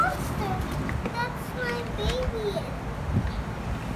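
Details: Pomeranian puppies, three weeks old, recorded 08-11-21: thin, high whines rising and falling in short separate bursts, some sliding downward, over a steady low background hum.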